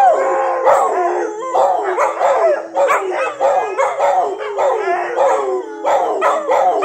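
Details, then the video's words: Several dogs howling together, overlapping wavering howls that slide up and down, mixed with short yelps and bark-like bursts, loud and continuous with no gaps. "Howling dogs"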